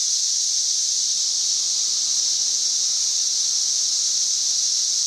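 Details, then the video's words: Cicadas singing up in trees, recorded May 31, 2024: a loud, steady, unbroken buzzing hiss pitched high, holding an even level throughout with no pauses, a dense chorus drowning out any other sound. "91+ dB Cicada Singing."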